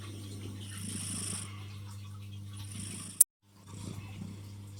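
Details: Female tuxedo cat snoring while asleep on a person's arm: soft, breathy rasping bursts over a steady low hum, one short sharp click, then a brief silence before the breathing noise returns.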